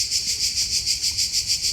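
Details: Cicadas chirr in a loud, steady buzz, pulsing in waves about every seventh of a second, heard while climbing steps to a fortress near Split, Croatia, in about 40°C heat.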